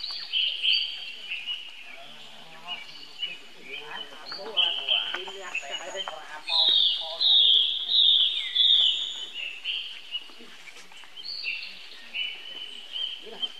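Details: Young baby monkey calling for help to its older brother Rainbow, who runs fast toward it; high, tonal squealing cries in overlapping bursts, some rising and falling, with louder sustained screams near the middle.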